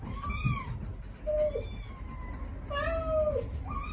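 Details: Stray mother cat and kittens calling to each other, the mother softly summoning the litter and the young answering with affectionate cries: overlapping meows, some high and arching, others lower and flat, repeating about every second.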